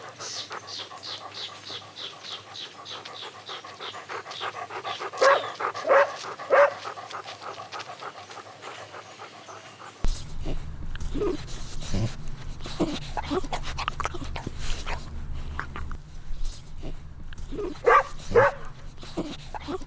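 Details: Puppies running, chasing and playing together on a lush green meadow; a quick run of three short barks comes midway, with two more near the end, amid panting, rustling and a steady low hum.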